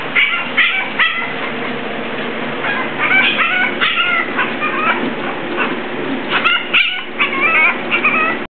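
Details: A one-month-old male English Bulldog puppy gives short, high, whiny yelps and whimpers over a steady background murmur.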